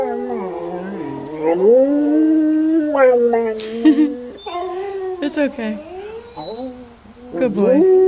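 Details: An English Springer Spaniel howls in long, wavering, rising and falling tones with brief breaks, responding to another Springer howling in a YouTube video.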